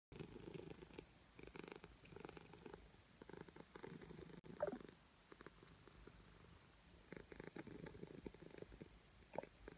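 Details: Hungry Siamese cat purring before breakfast indoors, a soft low rumbling purr in pulsing bursts of a second or two, with a brief click partway through.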